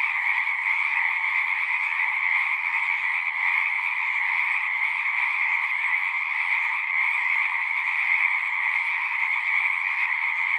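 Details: Numerous frogs call at a pond in a horse pasture, recorded with a Zoom 6: an unbroken, steady wash of shrill overlapping trills, uniform in loudness, with a faint low murmur in the background.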